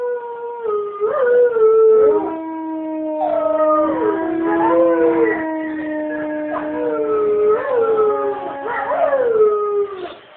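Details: Several wolves at the Folsom Zoo howl together in the morning, long sliding tones overlapping in a rising and falling chorus.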